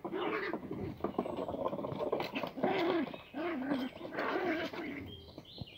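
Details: Schipperke puppy in a park, giving a run of short, wavering, whiny vocalizations in a mid-pitched, yodel-like pattern with brief pauses, over low background noise.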